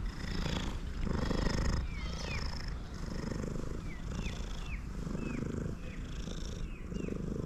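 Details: Loud purring from a male cat while it eats: a thick low rumble swelling in rhythmic waves, with short chirping calls from birds nearby.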